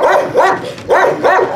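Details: At a husky kennel, a dog is trained to come when called from free play. Four arched, rising-then-falling yips come in two pairs, loud and clear against a quiet background.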